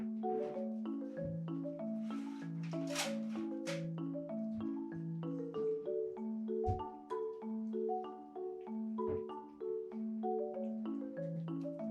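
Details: Gentle marimba melody with mallet-struck notes repeating in a steady pattern, plus a few brief bright splashes, and no animal voice.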